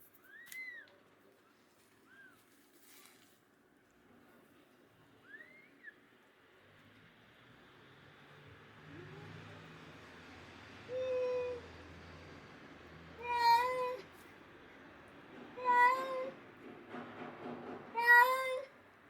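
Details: Abandoned stray kitten, rescued after surviving two days in snow at -11°C without food or shelter, gives a run of clear, tonal meows that bend up then down. Four louder cries come about two to three seconds apart, after fainter chirps and a low hum.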